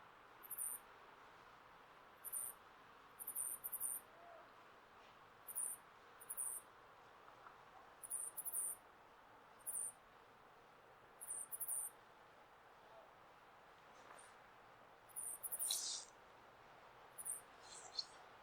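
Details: A male flying squirrel in Hokkaido gives very high, thin chirps in short bursts, some doubled, every second or two, to attract females during breeding season; part of the recording may be pitched down by half.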